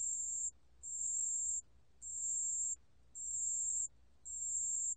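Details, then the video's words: Song of the pale bell cricket, 2020 recording from the National Institute of Biological Resources: five steady high-pitched ringing bursts, each under a second long, separated by brief pauses, with only faint low background rumble. "담색방울벌레, 여러번 듣기, 곤충소리"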